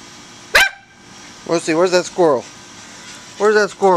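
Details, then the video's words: On August 6, 2010, two dogs bark at a squirrel up a tree, giving short, harmonic barks in quick bursts, with a sharp click heard first. "Buddy & Moosey, barking at a squirrel in a tree"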